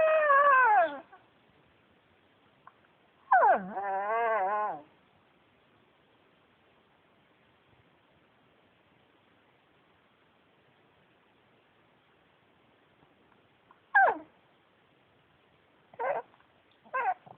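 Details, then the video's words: Male Pekingese Yuyu, a former shelter dog, talks in a falling whine and then a quavering, wobbling moan, followed after a long silence by three short, sharp yelps. "pekingese talking"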